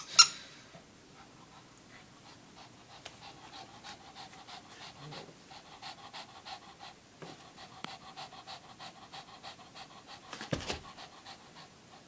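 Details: Lacey, a lively three-year-old female Shih Tzu, running around after a long neighborhood walk; quick, even, breathy pants repeat several times a second for most of the stretch, broken by a sharp knock near the start and another near the end.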